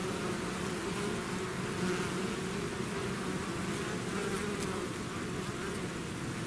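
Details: A swarm of bees out of its hive gives a dense, hissy, even drone of many wings, without distinct individual passes.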